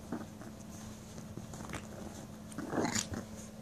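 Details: Dogs at play indoors: short gruff growling and snuffling noises, ending in a louder strained yelp-like growl near the end of the brief burst.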